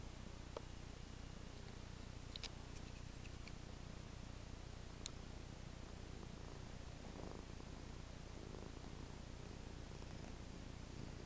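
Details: Domestic cat purring on a person's lap while being scratched; a steady, low, rumbling purr runs throughout under a constant hiss, with a few faint clicks.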